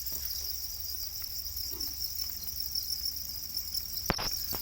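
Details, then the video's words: Captive Para crickets, known as black crickets and raised domestically, give a continuous high, ringing chirp with rapid pulses, broken near the end by a couple of sharp knocks. "Para crickets, also known as black crickets, are domesticated crickets"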